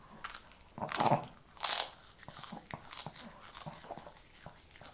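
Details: A Shih Tzu chews kibble: two loud crisp crunches around one and two seconds, followed by lighter scattered clicks of biting and chewing.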